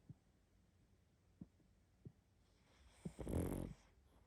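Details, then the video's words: Pug dog asleep, a few faint soft clicks and breaths, then one short, raspy snore lasting about half a second. "Мопс сильно храпит"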